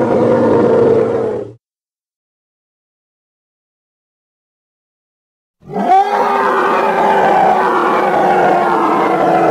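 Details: Hippopotamus from the Congo, in an edited recording: a loud, deep, harmonic roaring bellow, then a silent gap of about four seconds, then a second, longer, rough, sustained roar that rises sharply at its start.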